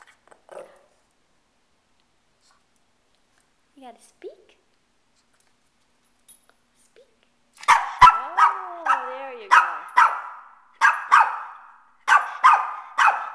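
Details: Male pet Shih Tzu called Kane, shaved with no hair left, barking after being told to speak: quiet talk at first, then a run of sharp repeated yaps roughly every half second mixed with a person's voice.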